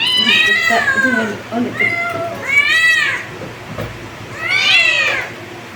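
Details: Loud kitten meows in three main bursts, each a bright arched cry with rich overtones, some overlapping calls from other kittens and low murmuring in the background.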